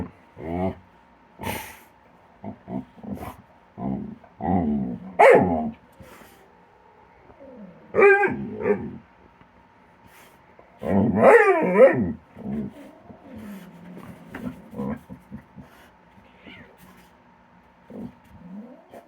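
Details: Kilo, a dog, playing with Korra at her tree, snapping at empty air during their usual game: bursts of rough growls and short harmonic yelps and whines, some sliding up and down, separated by quiet gaps, with a faint steady hum underneath.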